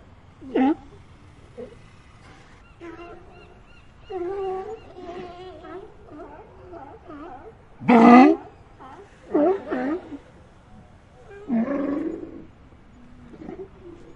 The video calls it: seal barking sound effect